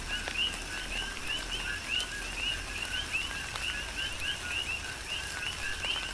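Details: On Hawaii's Big Island, a chorus of coqui frogs sings through tropical rain, with dense, overlapping rising chirps throughout and raindrops pattering in the background.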